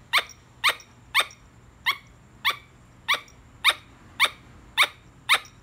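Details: A squirrel giving sharp, harsh chirping barks, about ten short bursts in under six seconds, roughly two per second at a slightly uneven pace, each call clipped and bright; quiet indoor background with a faint low hum.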